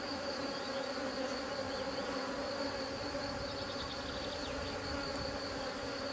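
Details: Steady, dense hum from a drone-laying honey bee colony during its rescue, an even droning with stacked tones and faint high flickers of single bees passing.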